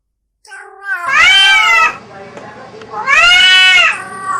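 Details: Two long, loud caterwauls from a cat in a mating context, each a strained, arching wail close to a second long, with a softer rough murmur between them over a low background rumble.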